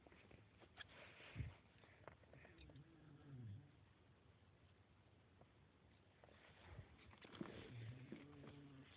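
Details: Sleeping dog snoring, two low drawn-out rumbling breaths with a faint nasal overtone, one near the middle and one near the end, separated by quiet shuffling and soft background noise.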